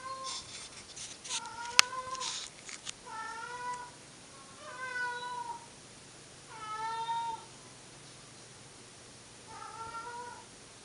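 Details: Old indoor footage of house cats Monkey and Dipper: a sharp click and rustling handling noises at first, then five plaintive, bending meows spread across the stretch, the middle ones strongest.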